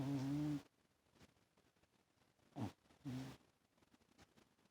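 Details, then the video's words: Toaster, a pet cat, snores loudly while asleep on a lap: one long low droning snore, then two shorter rumbling breaths after a quiet pause, in a small indoor room. "Toaster snores pretty loud in his sleep haha... who would have thought a cat actually snores haha..."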